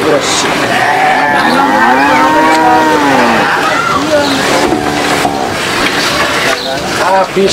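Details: Livestock cattle competing over feed: one drawn-out, arching moo lasting about two seconds, followed by a shorter, lower low. Shuffling, clattering farmyard noise continues in the background.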